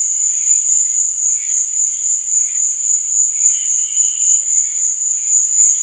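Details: Crickets at night chirping in a steady, unbroken high-pitched trill that fills the whole clip, with softer, lower chirps fluttering underneath in short bursts.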